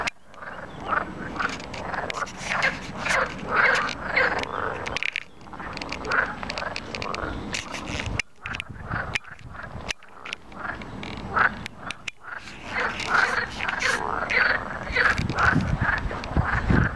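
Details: Natterjack toads calling together at Plaiaundi Ecological Park, a loud rolling chorus of rasping, rattling trills.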